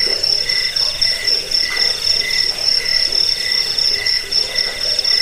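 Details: Rapid high-pitched cricket chirps, used as a rat repellent, sleep aid and birdsong tutor, stream on almost without pause, a softer lower trill pulsing in rhythm over a steady buzzing chorus.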